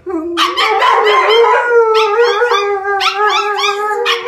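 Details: Alaskan Malamute named Kalia howling together with her best friend Mikhos, a PomChi; she only howls with him. Sustained, wavering howls with rich harmonics, overlapping voices rising and sliding in pitch, continuous throughout.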